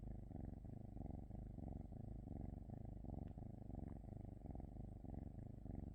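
A Norwegian Forest Cat purring in a low, steady rumble that pulses with each breath.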